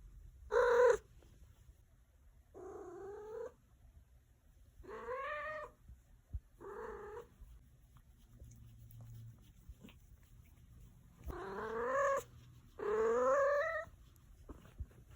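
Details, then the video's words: Domestic cat that is said to make only one kind of sound, giving about six short, nasal, slightly rising meows spaced one to two seconds apart, with a faint low hum behind. "My cat only makes one sound!"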